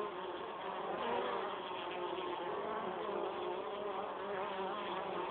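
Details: Honey bees carrying pollen into their hive, a steady dense droning hum of many bees with overlapping wingbeat tones, continuous and even throughout.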